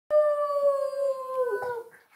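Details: A Boston Terrier howls along with a person, giving a long, steady howl that sags slightly in pitch at the end.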